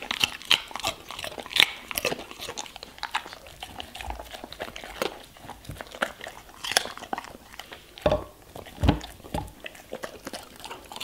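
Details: German Shepherd eating vegetables and fruits: sharp, irregular crunches and bites that come in quick clusters, with louder snaps near the eighth and ninth seconds between softer wet chewing.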